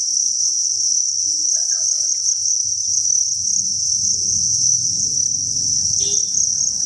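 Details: Chorus of farmed crickets in a breeding facility, a constant shrill trilling band held for the whole stretch, while low muffled rumbling and thumps build in the background.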